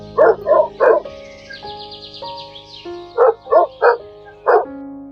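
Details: Dog barking: three quick, sharp barks, a pause of about two seconds, then four more evenly spaced barks, over soft sustained background music with a brief buzzy trill in the gap.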